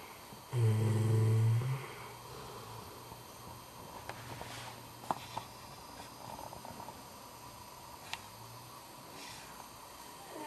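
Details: Duffy, a pet dog, sleeping and snoring: one loud, low, droning snore lasting just over a second, then a faint, steady rumble of breathing continuing under a soft background hiss.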